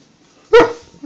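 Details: A hungry Alaskan Malamute, apparently begging for food, gives a single short, harmonic, bark-like yowl that drops slightly in pitch.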